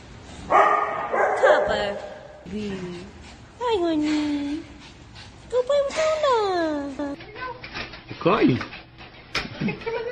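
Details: Excited male Shih Tzu named Sky, told he is heading to Dog Dayz daycamp to play with friends, gives drawn-out falling whines and squeaky yips in uneven bursts, with a person's voice mixed in.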